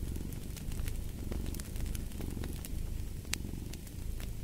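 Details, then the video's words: Soft rumbling purr of a cat underneath a busy crackling fireplace, the low throb steady while bright pops of burning logs break in often. "Fall asleep to the Purring of a Cat & Fireplace"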